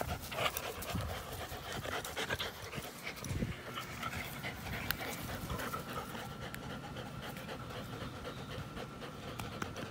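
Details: Playing American Pit Bull Terrier and Belgian Malinois cross, April 21, 2019: continuous hoarse, rapid panting with a dense rustling wash, a few muffled thuds early on.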